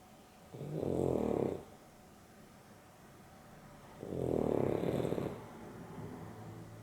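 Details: Two broad, rumbling snores about three and a half seconds apart, each lasting roughly a second, from Dexter, dozing with Rio during an afternoon nap; Boston Terrier and Beagle mix pair, quiet room between breaths.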